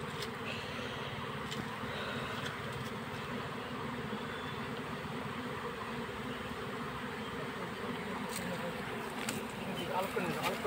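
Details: Swarm of honey bees during capture into a hive box, smoke being used; unbroken, even buzzing drone, with a few sharp taps and a short murmur of voices near the end.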